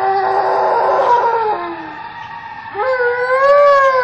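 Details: Loud, harmonic howl from an Alaskan Malamute competing with passing fire trucks, the first phrase sinking in pitch, followed by a brief pause and a second rising, sustained howl.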